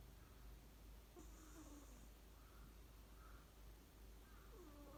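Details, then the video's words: Ku, a domestic cat, snores while sleeping comfortably; faint, low harmonic snorts repeat at irregular intervals, with a soft airy hiss on one breath and a steady low hum underneath. "いびきかいて寝ているねこ snoring"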